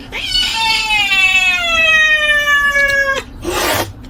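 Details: Kitten screaming for no reason: one long, loud, harmonic cry held about three seconds that slowly slides downward, then a short burst of noise and a brief rustle.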